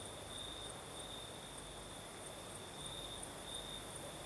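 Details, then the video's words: Singing crickets on a southern Crimean night with a breeze: a level high ringing trill continues unbroken, with quick, very high pulses repeating above it and quiet wind rustle beneath. "Сверчки поют"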